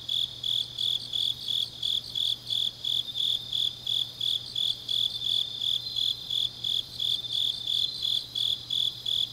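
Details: Grass insects singing on a deep autumn night in Changnyeong, South Gyeongsang, Korea: a high, shrill chirping pulsed about three times a second in steady rhythm, with other insects trilling faintly behind and a low steady hum.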